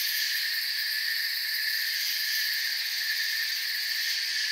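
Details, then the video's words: Crickets in a forest, a dense steady chorus of high chirring in several layered pitch bands, faintly pulsing at the top, unbroken for the whole stretch with no other sounds. "Forest Sounds and Crickets"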